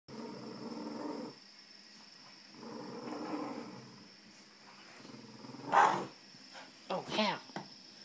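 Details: Puppy playing tug of war with a big dog, two bursts of low rumbling growls in the first half, then a person talking and cheering the play on.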